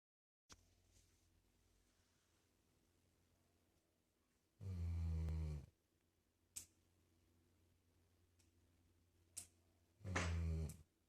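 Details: Dog snoring indoors: two deep, rasping snores, each lasting about a second and roughly five seconds apart, with faint clicks between them in a quiet room.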